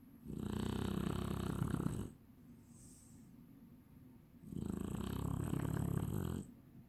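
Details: A Chinese Shar-Pei snoring: two long, rough, rattling snores of about two seconds each, separated by a quieter breath in between, with a soft hiss in the background.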